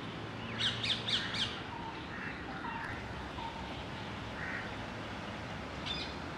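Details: A squirrel near its den, 27 March 2021, gives a quick run of four sharp, high chirps, then one more after a pause.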